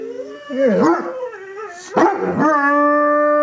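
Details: Dobermann howling in reaction to a played recording of another dog crying, with a smaller bichon–shih tzu cross joining in; wavering mid-pitched howls rising and falling, ending in a long steady harmonic-rich tone, human voices faintly mixed in.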